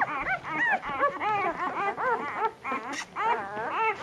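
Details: Puppies in a litter squabbling over nursing from their mother at dinner time; dense overlapping high whines and squeaks, arching and wavering up and down, crowding one another almost without pause.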